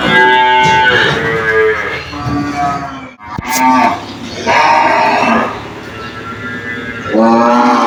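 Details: Cows calling loudly inside a pen, answering one another: long harmonic moos overlapping, one call fading before the next begins, a brief click near the middle.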